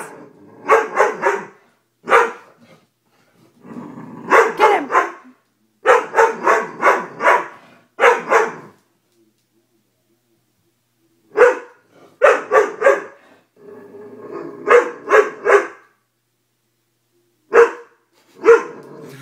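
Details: Dobermann giving repeated loud barks in clusters of two to five, separated by quiet spells, with a low rumbling growl between some bursts.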